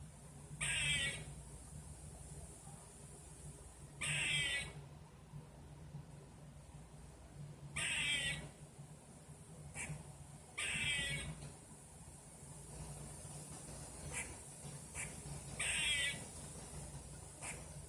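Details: Heard outside, a squirrel gives harsh, raspy calls, each about half a second long, repeated every few seconds.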